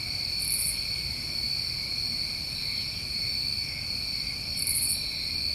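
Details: New England summertime crickets at night form a steady, continuous high-pitched trilling chorus in two even layers, with two brief, higher buzzy bursts rising above it near the start and end.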